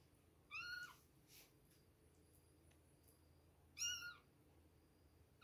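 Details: Two-week-old kittens at milk time give two short high meows, each a bright harmonic chirp, separated by a few seconds of quiet room noise.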